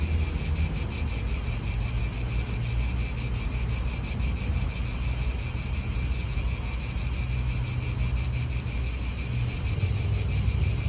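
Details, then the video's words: Cicadas calling in an Italian park, a continuous high buzzing band pulsing about three times a second, with steady low wind rumble and distant car noise beneath. "italian park ASMR Cicadas wind real atmosphere in an Italian park birds"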